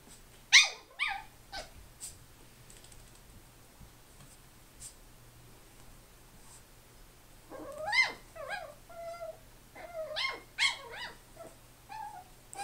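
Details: A Chi-poo puppy called Grandpa, worked up indoors, lets out a sharp yelp, then after a pause a string of high, bending whimpers and squeaky yips rising and falling in pitch.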